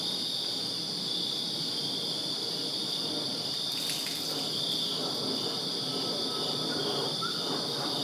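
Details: Crickets chirping in a backyard in Virginia on a summer night, a steady shrill high-pitched pulsing drone with a fainter, even higher band above it, never pausing; a brief crackling burst around the middle.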